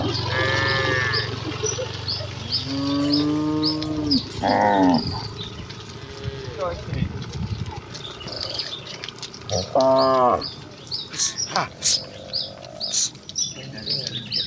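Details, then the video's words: A herd of village cattle running happily toward the pen, with repeated moos of varying length: several early, overlapping lowing calls, then another loud one near the end. Birds chirp throughout, and brief human shouts and clatter are heard. "Kawanan sapi lembu yang berlarian menuju kandang dengan kegiranganan dengan suara moo khas sapi desa"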